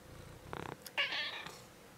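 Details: Domestic cat investigating a tortoise indoors gives a short pulsed, buzzy note followed by a louder, higher drawn-out meow lasting about half a second, then quiet room background.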